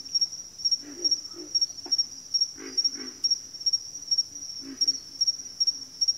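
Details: A chorus of frogs croaking: short hoarse pulses in small groups about every second, over a continuous thin high-pitched hum.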